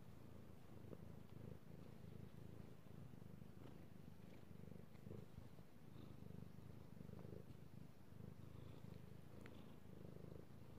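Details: Male house cat enjoying being petted, recorded 16 March 2018: strong, unbroken low purr with rhythmic rumble, accompanied by light scratchy petting and rustling noises.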